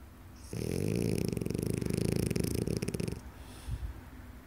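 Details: Sleeping French Bulldog snoring: one long rattling, buzzy snore of about two and a half seconds with rapid pulsing vibration, then quiet breathing.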